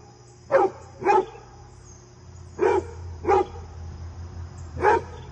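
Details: Fred the basset hound barking during a visit from his deer friend: five short, deep barks in loose pairs over five seconds, with a steady high electrical whine behind.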